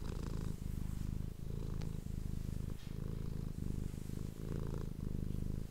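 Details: Close-miked purring of a pet cat, recorded with an ASMR microphone: a continuous deep rumble with short dips at each breath, roughly once every second, and no other clear sounds.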